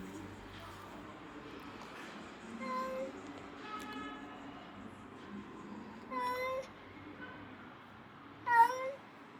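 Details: Abandoned stray kitten, rescued after two days freezing in snow at -11°C, gives short, faint meows spaced about two seconds apart, each a brief harmonic cry, over a steady low background hum.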